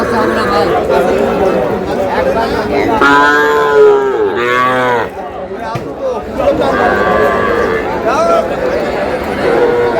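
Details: Sahiwal bull calves at a crowded cattle market in Comilla, Bangladesh, on 24 May: two loud, drawn-out harmonic moos around the middle, the second bending downward, over constant crowd chatter and bargaining voices.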